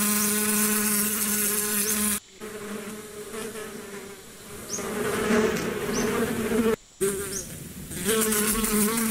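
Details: Bees hum in a continuous low buzz that grows stronger and weaker across the recording, broken by two brief silent cuts, with occasional faint high chirps.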